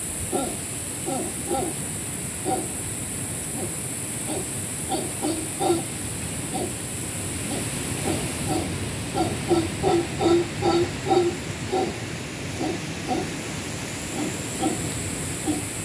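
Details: Howler monkeys calling above a cabana at Camaroncito EcoResort, Panama: rough, throaty grunts in irregular bursts, denser and louder toward the end, against a continuous shrill background hiss.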